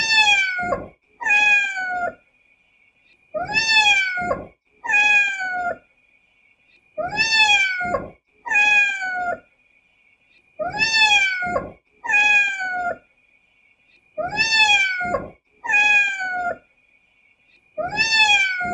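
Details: Repeated meows from a cat or kitten, grouped in twos about every three seconds, each bright and harmonic with a gentle downward bend; a thin constant high-pitched tone runs through the background.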